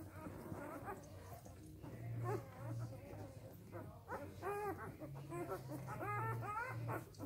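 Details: Newborn Samoyed pups, three days old, give scattered thin whimpers and short squeaks, quieter and sparser, over a low background hum and faint rustling.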